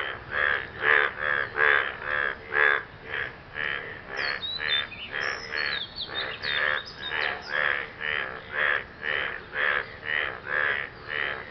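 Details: Frogs calling after rain, said to be courting a partner: fast, steady pulsed croaks repeated about twice a second throughout, with a brief high chirping sound partway through.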